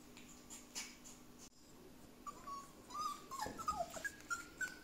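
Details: Border Collie puppies being socialised at home, quiet at first, then a run of short, high, flat whines and yips that grow denser and louder toward the end.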